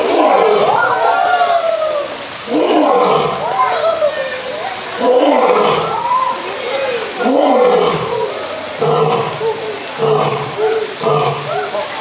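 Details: Roaring from a skinny old lion: a long sequence of rough, moaning bursts repeated every two to three seconds, each with wavering rising and falling tones, shortening and weakening toward the end.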